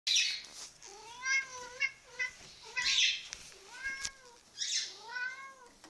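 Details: A pet cat indoors calling around feeding time, a habit its owner describes as barking: short chirping, harmonic calls with arched pitch, given in clusters of two or three, between bursts of hissy noise.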